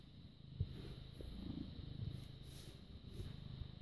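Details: Purring British Shorthair cat born August 2010, filmed 6 May 2017 at 21:55 in the evening; deep continuous rumble with even, rhythmic pulses of inhale and exhale, one small click early on, no other sounds.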